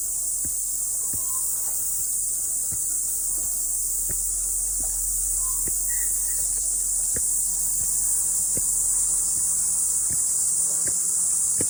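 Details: Cicadas in song after the rain on a morning climb up a mountain, a continuous shrill hissing buzz filling the background, with footsteps crunching about every second and a couple of brief faint tonal chirps.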